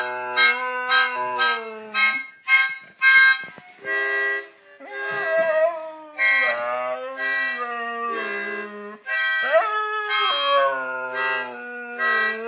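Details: A Siberian Husky howls along to a Christmas song, its long voice sliding and wavering over the music.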